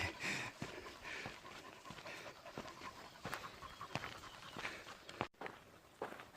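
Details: In hot weather, a young dog in special training as a boar hunting dog gives rapid, raspy pants. The airy bursts repeat about every half second, with brief clicks and soft outdoor noise around them.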